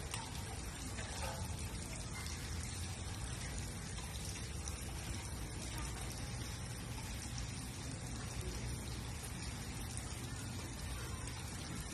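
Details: Steady rushing and splashing water fills the recording as a dense, unbroken hiss, with no animal call standing out.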